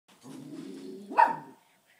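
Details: Indoor pet dog barking at people walking past outside: one sustained low, rough vocalisation rising into a single sharp, higher bark near the end, then silence.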